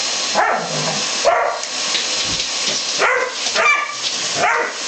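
A Dobermann gives short, harsh barks spaced irregularly, each one a quick gruff burst. A steady hiss of background noise runs underneath.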